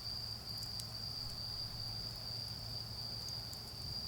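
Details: Garden autumn insects keep up an even, unbroken high ringing trill beside a bonfire, with a few crackles from the fire and a low hum underneath.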